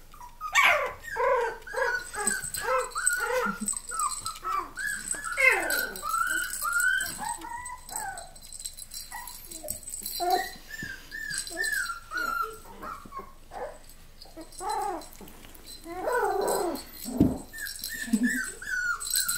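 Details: Miniature Australian Labradoodle puppies whining and yipping: a busy stream of short, high, wavering squeals and yelps from several pups, with occasional sharper cries and faint background hiss.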